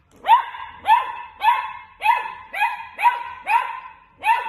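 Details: Playful dachshund puppy barking steadily: eight strong, slightly upswept barks spaced about every half second, with no other sounds.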